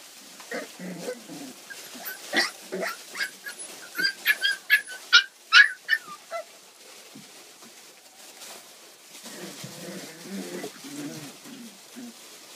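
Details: Puppy almost four weeks old giving a run of short, high whimpering yelps and squeaks, quickening and louder in the middle, then softer low grumbling whines toward the end in a quiet room.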